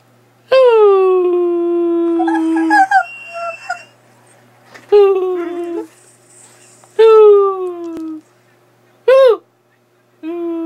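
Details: Skyy, a dog, playing; long harmonic howl-like vocalizations near 350 to 500 rising into higher bends, several drawn-out calls separated by pauses, with a faint human voice between them.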